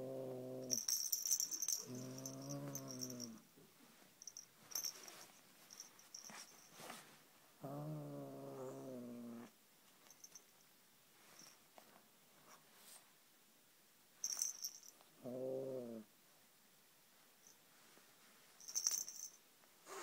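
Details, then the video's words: Gert Lush, a seven-month-old male Siamese kitten guarding his beloved toy snake, gives four low, drawn-out growly meows. They are spaced through the clip, with bright rattling and scratching noises from play between them. "Gert Lush and his snake. Siamese Cat"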